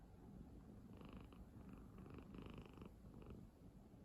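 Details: A sleeping cat snores on a person's bed in a low, soft, rumbling drone. Faint higher tonal bands appear between one and three seconds in.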